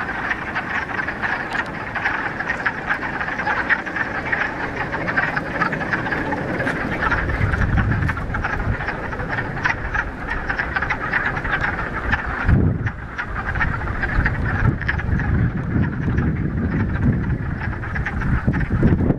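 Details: Frogs in full chorus at a mountain pond in the Ramapo Mountains, mid-March after a week of rain on the first warm spring day; constant dense croaking, with strong low rumbling gusts like wind or handling noise.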